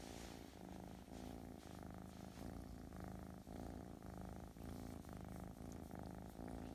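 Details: Russian Blue kitten, Ruzara Rufina, from a cattery, described as very affectionate and gentle, purring indoors: a steady low rumbling purr that swells and dips about once a second with each breath.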